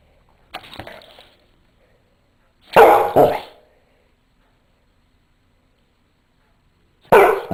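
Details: A Rottweiler mix barks for no apparent reason, deep and heavy: a single woof, then a quick double bark.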